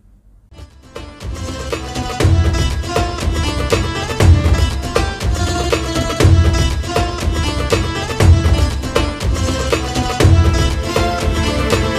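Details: Rhythmic folk-style music with steady drumming and no animal sounds.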